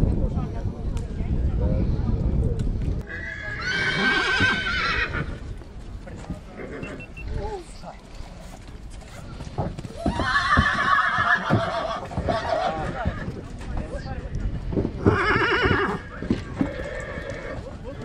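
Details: A mare from Satu Mare, Romania, gives three loud, shaky neighing bursts with a quavering tremble, about five seconds apart, between stretches of people talking and low rumbling background noise.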